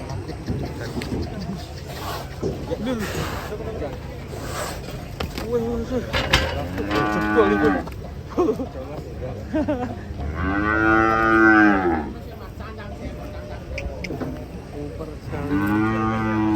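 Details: Cows from a compilation of funny, unique cattle give several rich, harmonic moos. A short one comes mid-clip, a long swelling bellow follows, and another starts near the end, with steady background clamour throughout.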